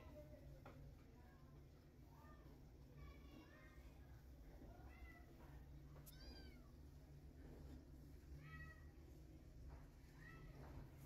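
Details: One-day-old newborn kittens, hungry, crawling and searching for milk; thin high rising-falling mews scattered every second or two over a steady low hum.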